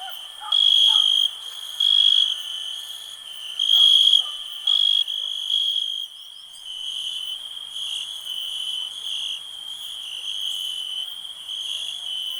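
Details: Cricket chorus: sharp, high trill bursts for the first few seconds, then settling into a softer, nearly continuous high ringing, with faint lower chirps early on.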